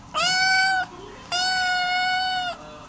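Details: A pet cat being told to wake up answers with two loud, clear, steady meows: a short one under a second, then a longer level one lasting over a second, rich in overtones.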